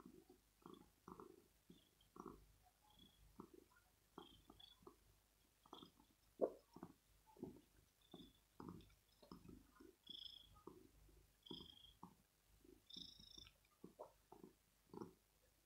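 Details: A male kitten seeking cuddles, petting and perhaps food early in the morning purrs quietly. Rhythmic low throbbing pulses repeat roughly every half second to second throughout, with a few faint high clicks in the background.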